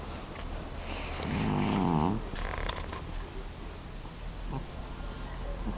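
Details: Young orange male pet cat, clingy and the loudest snorer in the home, gives one rasping, buzzy snore of about a second, rising then falling, against a noisy indoor background with low hum.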